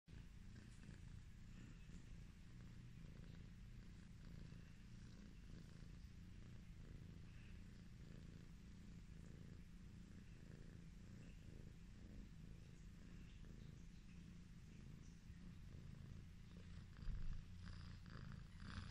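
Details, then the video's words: Chucky, an affectionate Highland Lynx cat, purring while being petted: a steady, low rumbling purr throughout, with faint soft rustles and a brief louder bump near the end. "The relaxing sound of a cat purring"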